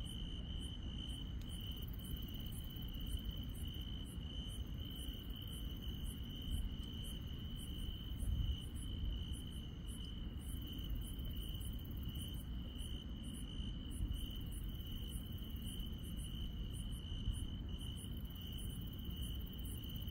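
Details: Grass insects singing at night in the countryside: a continuous, high-pitched trill with a regular series of very high, clicking pulses roughly twice per second. Steady low-frequency background noise throughout.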